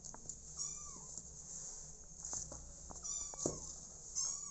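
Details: Quiet, high, thin meows, each bending down in pitch, come three times over a few seconds. They rise from a home where four motherless kittens live with an adoptive mother cat, and soft indoor rustling sits beneath them.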